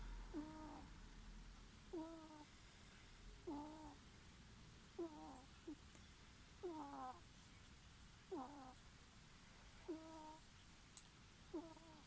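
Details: A ferret snoring in its sleep, each breath a short nasal squeak sliding downward with a thin whistled overtone, regular about every one and a half seconds, eight snores against a quiet hiss.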